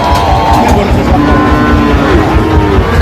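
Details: Loud continuous engine and traffic roar with music layered over it, and no animal voice audible.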